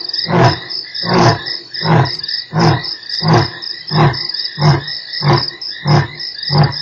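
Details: Lion roaring at Nkorho on 3 March: a steady series of deep, grunting pulses about every 0.75 seconds, nine within seven seconds, over a constant high-pitched insect chorus.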